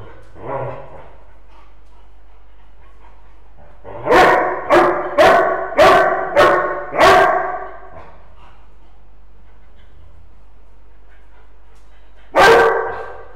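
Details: Old English Sheepdog Sasha playing with his companion Fredie, a Tibetan terrier; a burst of six loud, sharp barks in quick succession, then a pause and one more bark, with a soft vocal sound near the start.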